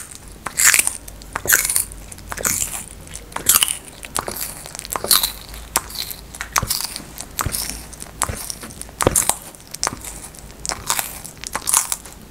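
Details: A tortoise biting and chewing food, recorded close: loud crisp crunches recur at an uneven rhythm, about seventy a minute, each a sharp snap followed by softer crackle.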